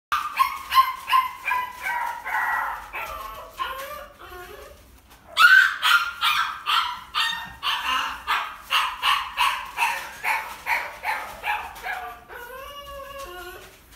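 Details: Japanese Spitz dog raising her puppies at a dog breeding farm; high, thin yelps and whimpers repeated about two or three times a second, some sliding downward, in two bursts separated by a short pause.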